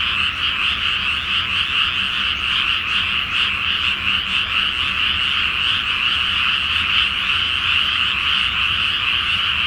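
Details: Countless frogs calling at night from a flooded rice field before planting under the full moon in Japan; continuous pulsing croaks blend into an unbroken, buzzing chorus.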